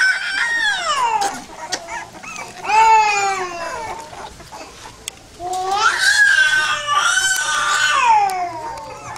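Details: Pit bull puppies let out long, drawn-out whines that slide downward in pitch, one near the start, another around three seconds, then a louder run of wavering cries in the last few seconds.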